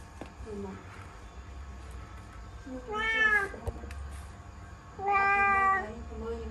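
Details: Cat trapped in a laundry basket indoors, two loud drawn-out meows about two seconds apart, each rich in harmonics, with quieter calls and low room hum between them.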